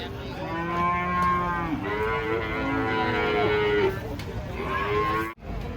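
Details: Large cattle unloaded from a truck; one animal lets out long, rich, harmonic moos, the first level, the next wavering and rising, with faint background noise and a sudden thump at the end.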